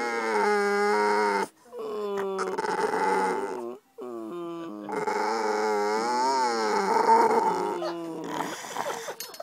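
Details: Pet dog Maja, recorded 9 July 2011, 'talking' to get attention at the dinner table: long, wavering, melodic howl-like whines in three sustained phrases, broken by short pauses near 1.5 and 4 seconds.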